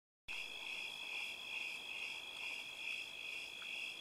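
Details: Many crickets sing together in an orchard of plum, apple and ponderosa pine trees, a steady, high, shimmering chorus that never pauses.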